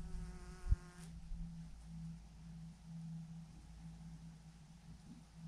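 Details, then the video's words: Massive clump of honey bees swarming on a branch: a clear tonal buzz stands out for the first second, then a softer, continuous low hum persists underneath, with a sharp knock near the start. "thousands of BEES hanging on a branch in a massive clump"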